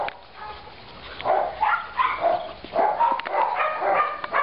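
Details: Byron, a male Labrador mix puppy of about 8-10 months, also described as a Flat Coated Retriever mix, rescued and seeking a family in Tuscany, gives short harmonic barks and yelps in uneven bursts, some with rising pitch.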